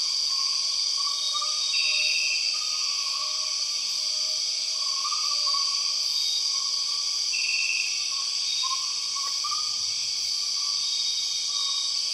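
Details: Rainforest of Borneo filled with empress cicada sound: an intense sustained high-pitched whine of overlapping tones, beneath it quick wavering lower notes about four per second, and two short brighter trills.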